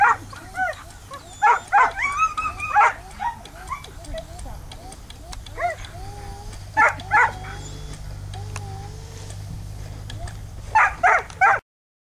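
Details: Samoyeds at lure coursing, chasing an artificial lure, produce bursts of excited barks and wavering high whines and yips, with human voices and a low steady hum behind.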